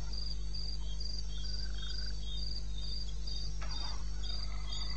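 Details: Cricket at 02:30 on 21 May 2016 in the eastern Botswana wilderness, giving evenly spaced shrill chirps, with a short scraping noise partway through and steady low background hum.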